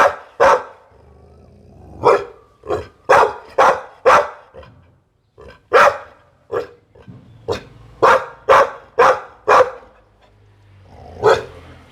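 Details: Pit Bull dog barking: about seventeen sharp, loud barks over twelve seconds, coming in bursts of two to four with brief pauses and a longer gap near the end, against a quiet background.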